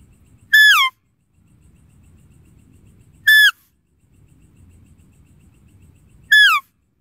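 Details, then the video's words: A deer calls three times, sharp whistled squeals sliding downward, each under half a second, separated by gaps of nearly three seconds filled with faint low background noise. "Deer Calling Sound"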